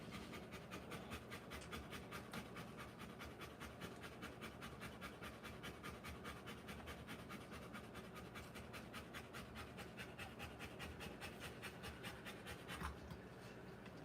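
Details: Rottweiler in labour, delivering puppies, breathing in a fast, even pant of roughly two and a half breaths each second. The pace holds across the whole stretch, with a brief sharp sound near the end over a constant low hum.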